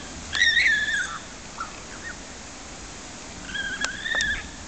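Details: One of two vicuñas making a racket at Edinburgh Zoo gives two shrill, whistled calls, the first gently falling, the second shorter.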